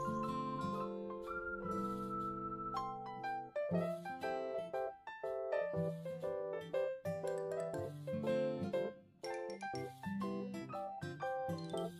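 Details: Bright piano and keyboard music with chiming, bell-like notes plays throughout, and no animal voice can be heard.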